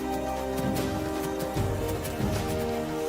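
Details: Steady background music with sustained tones and soft low percussion, and no animal calls.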